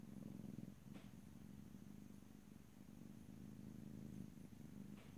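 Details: Domestic cat purring steadily in a close stereo recording, a continuous low rumbling throb with slight swells in loudness, a soft brief click near one second and another near the end.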